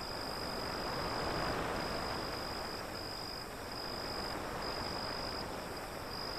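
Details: Crickets chirping beside the sea, a high thin pulsing tone broken into short regular bursts that run steadily through the clip, set over a broad continuous rush of breaking waves.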